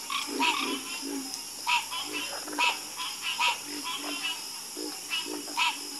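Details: Several frogs trade quick, gravelly croaks, often in doubled bursts, loud nearby calls alternating with fainter ones, while a continuous thin high drone runs underneath.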